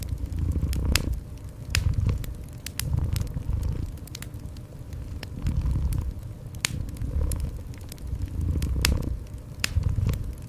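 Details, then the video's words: Low throaty cat purr, surging and easing in rhythmic cycles, mixed with a busy crackling fireplace full of sharp wood pops. "Cozy Fireplace with Gentle Cat Purring"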